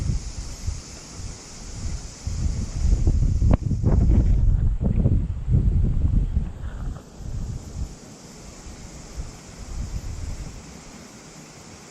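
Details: Wind buffets the microphone and rustles during a hike at Rainbow Mountain Reserve near Rotorua, New Zealand, with no animal heard.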